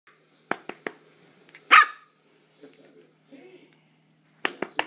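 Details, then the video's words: Havanese puppy barking while playing: a few sharp, bright barks near the start, one louder bark just before two seconds, then a quick burst of three barks at the end, with soft quieter sounds between. "The only one who barks while playing"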